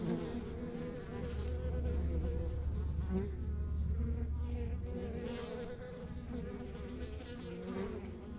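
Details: Crowded honey bee colony in a rural backyard hive, heard as a constant deep drone, slightly pulsing, with occasional higher buzzes of single bees flying near.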